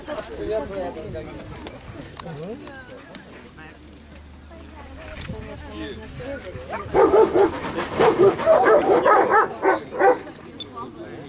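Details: German Shepherd Holger, 2015 Dogs Villages Cup winner, tested in the escort dog standard of Ukraine's Vidsich guard-protection programme. Talk fills the first seconds, then a loud burst of rapid, harsh barks mixed with voices near the end.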